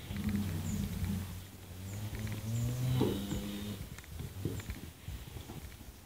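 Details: Cattle being weighed; low droning moos with steady harmonics through most of the stretch, a stronger bellow near the middle, over noisy background with faint metallic clinks.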